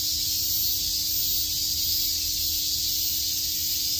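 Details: Many cicadas chirp together in Tokyo's Shakujii Park on a summer day, making a continuous shrill, hissing wall of sound with slight swells in loudness.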